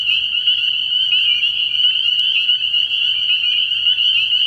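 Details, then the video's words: Early-year spring peeper chorus from a frog pond after dark: unbroken, piercing high peeps from many frogs at once, a few rising slurs, and a faint low droning hum in the background. "Relaxing Tree Frog Sounds"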